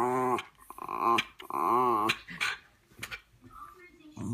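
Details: A female Miniature Schnauzer fooling around with her owner, a habit she shows all the time, gives drawn-out, wavering groans and grumbles, with brief human voice between.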